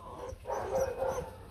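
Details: Rottweiler puppies from the Loki 2 litter of four, two males and two females, with their mother Hanna Gervi at a kennel in 2024. A short, tonal, whining whimper rises and falls twice over low background rumble.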